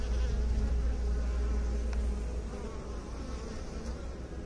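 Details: Bees buzzing in a steady, deep droning hum with faint higher overtones, unbroken throughout and easing slightly in loudness over the second half.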